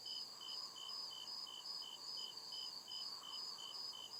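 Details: Nighttime cricket chirping from the deep woods: crisp, high repeated chirps at an even quick pace, joined by an overlapping thinner pulsed trill and a faint steady hum.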